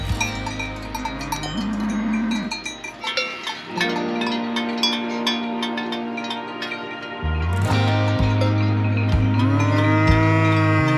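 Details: Cows resting on hillsides on a quiet descent from an Alpine pass in the Swiss Alps (Flüela/Albula), with marmots also heard: a cow lows in deep, drawn-out moos amid steady clanking of cowbells.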